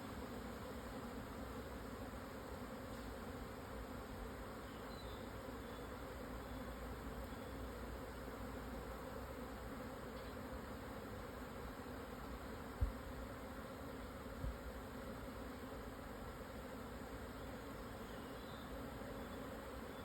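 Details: Japanese honey bee swarm relocating at noon on 17 June 2024, after strong wind calmed, on the Yatsugatake southern foothill plateau, Hokuto, Yamanashi, Japan, at 1054 m; a dense, steady low hum drones throughout, with a few faint high chirps.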